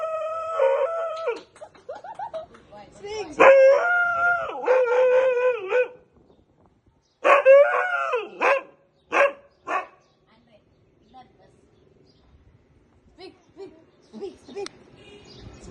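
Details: A Siberian Husky, prompted with "speak", gives drawn-out, wavering howls with yowling bends, in bursts between short pauses, with people laughing and shouting nearby.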